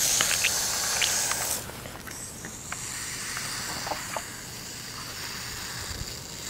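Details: Hognose snake playing dead, a short airy hiss in the first second and a half fading into quieter rustling and light tapping sounds.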